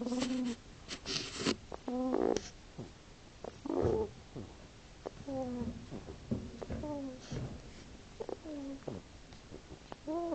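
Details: Sleeping hedgehog snoring: a series of short squeaky, whiny tones that bend up and down, coming roughly every second or two, mixed with soft breathy puffs and a few louder rustling bursts.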